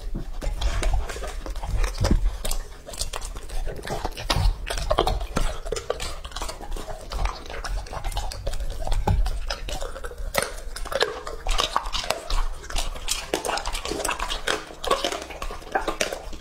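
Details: Extended ASMR recording of Lucky, a two-and-a-half-year-old male English-type Labrador, devouring raw meat indoors: continuous fast crunching, biting and wet mouth clicks, occasional clinks like a bowl being pushed.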